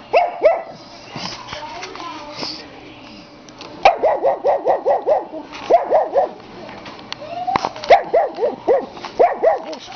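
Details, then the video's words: Maizie Grace, a pet dog who loves to bark, lets out rapid bursts of high, yelping barks, about five or six in quick succession, with pauses between volleys; a few softer sounds and faint voices lie underneath. "Maizie's bark"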